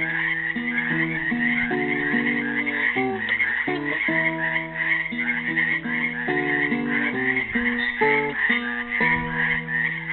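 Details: Frogs trapped in a pool in Helix, Oregon, on Earth Day 2016, calling together in a steady, rapid pulsing chorus of croaks, while a classical guitar plays a made-up melody of plucked notes and chords over them.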